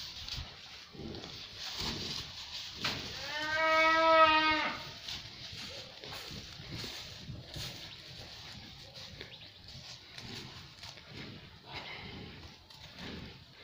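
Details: Holstein calves: one drawn-out, harmonic moo lasting about two seconds near the middle, rising slightly then falling, amid rustling and shuffling noises and scattered background knocks.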